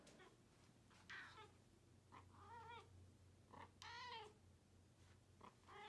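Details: Talkative Balinese cat indoors producing a series of short and longer meows, roughly every second, the loudest a rising-falling wail near four seconds, with a low electrical hum throughout.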